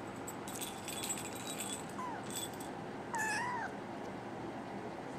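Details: NANA, a brown tabby and white female kitten born 24 December 2010 and waiting for a new home, makes a faint brief mew, then a clearer meow that rises and falls; light rattling, jingling clicks come earlier.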